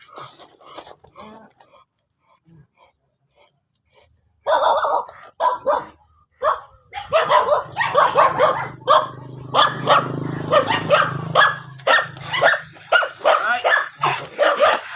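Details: Mating stud session with an American Bully in Imbalbalatong, Pozorrubio: quiet opening, then a sudden burst of repeated yelping barks and whines for ten seconds over a steady low hum, with voices mixed in.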